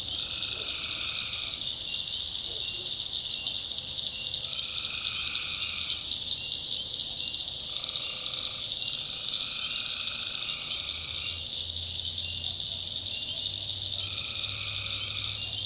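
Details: Tree frogs calling at night in the North Carolina backwoods swamp; a dense pulsing chorus forms a steady high drone, with repeated lower trilled calls lasting one to two seconds rising and falling in overlapping bouts, plus a faint low hum.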